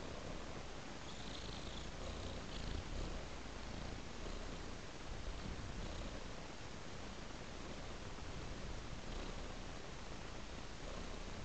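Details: Domestic cat purring while following a trail of raw meat; a steady, low, rumbling purr runs throughout with no breaks, and faint higher hissy patches come and go in the background.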